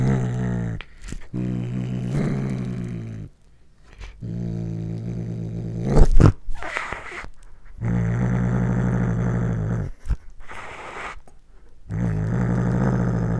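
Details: Domestic cat growling while eating corn for the first time, recorded on a Panasonic GH5 camera: long, low, steady rumbling growls lasting one to two seconds, broken by pauses and sharp crunching chewing sounds.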